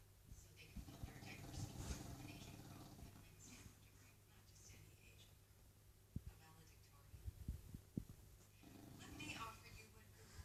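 An English Bulldog snores with deep, rattling breaths that swell and fade irregularly.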